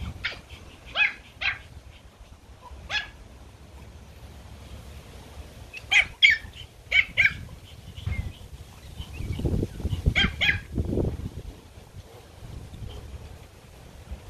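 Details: Pomeranian puppies (toy Poms) playing in a garden give high, sharp yapping barks in scattered bursts, several close together around six and ten seconds, over low rumbling background noise.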